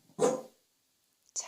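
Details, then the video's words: Pet Welsh Corgi at home barking while family members coax it to bark softer; one short, loud bark followed by a pause, then a brief second sound at the end. "웰시코기(Welsh corgi) 코코야 조금만 작게 짖어봐.."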